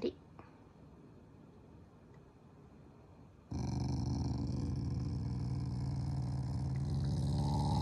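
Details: Affectionate family Shiba Inu, not angry, growling at its owners during its morning routine: a near-silent room at first, then a sudden steady, deep, rough rumble that holds and slightly swells until the end.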